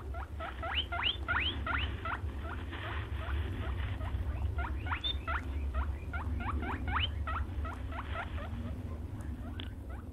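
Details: Rabbit or hare giving a dense run of short, sharply rising squeaks, several per second and often overlapping, some doubled, over a steady low rumble of background noise.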